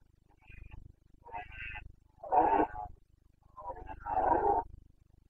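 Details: Red deer stag of the Carpathians roaring in the breeding season, the boncănit of Bucovina, 29 September 2022: a building series of four grunting roars, the last two loudest and deepest, about a second apart.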